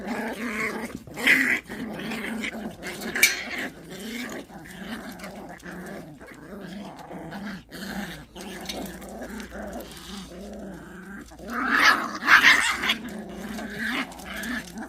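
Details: Rank fight between Pungsan dogs, heard as a long sustained, rough growl that rises and falls, with brief harsh snarl bursts early on and a louder cluster near the end.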